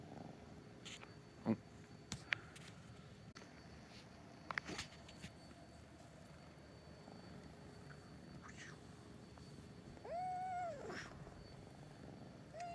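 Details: Domestic cats in the morning, with kittens said to be sleeping. Scattered soft clicks and rustles lead to one clear, harmonic meow near the end that rises and then falls, over a quiet background hum.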